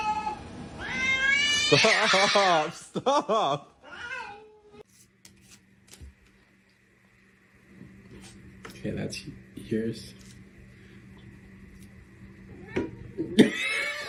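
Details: Domestic cat in a funny compilation giving drawn-out, wavering yowling meows with rich harmonics over the first four seconds, mixed with human speech. A cut follows to a quiet indoor room with a steady hum, scattered clicks and knocks, and a final burst of noise.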